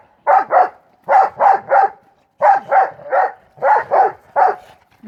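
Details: Two pit bull mastiff brother dogs playing ball in the snow during the 2016 Maryland blizzard; loud barks in quick pairs and triplets, grouped bursts about every second, with brief gaps between groups.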